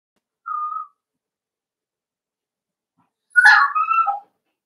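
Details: Indoor puppy pen, Cavalier King Charles Spaniel puppies at play: a single steady whistled whine, a pause of about two seconds, then a loud, harsh yelp that breaks into a descending whimper.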